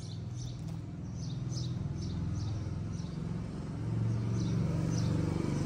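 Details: A stray cat in Morocco wants love like the white cat beside it. A deep, even purr rumbles continuously, swelling slightly louder near the end, with light high ticking noises.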